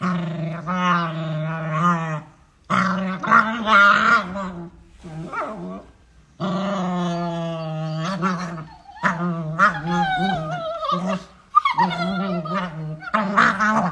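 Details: Playing beagle puppies growl and whine in long harmonic bursts, some rising into higher whining tones, separated by short silent gaps.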